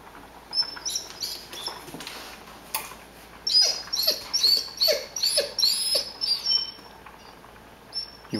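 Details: Pet Rhodesian Ridgeback whining at the smell of ground beef cooking: thin, very high-pitched whines in a quick run of short notes, broken by quieter pauses, with faint household noise.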